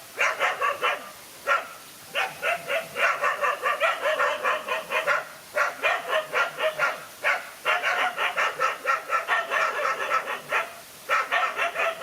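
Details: Two male dogs fight a lone dog, and a dense, nearly continuous volley of harsh barks pours out, with brief breaks every few seconds and overlapping voices.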